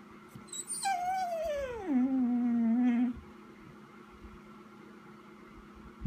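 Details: Vizsla left indoors and waiting for its owner to come in gives one long whine that starts high, slides down in pitch and levels off into a steady held tone for about two seconds, then stops, leaving a quiet room.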